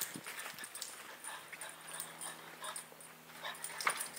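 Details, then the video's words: Hyper French Bulldog in a frenzy, making short breathy snorts and whiny whimpers, plus a low steady hum and one sharp click near the end. "french bulldog spaz"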